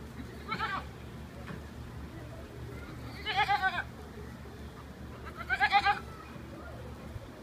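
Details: Goat at a petting zoo bleating while being annoyed by an alpaca that nibbles at things: three wavering, quavering bleats spaced a few seconds apart over a steady low rumble of background noise.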